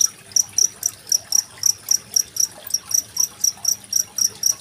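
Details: Cricket song recorded 25 February 2023 as tutor material for training contest songbirds such as magpie-robins. Short, shrill, high chirps repeat regularly about four times a second against quietly trickling water.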